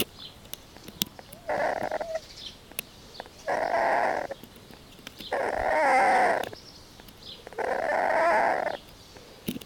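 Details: A sleeping puppy snores, with four breathy, rasping bursts spaced about two seconds apart, each lasting roughly a second, against a quiet background with faint clicks.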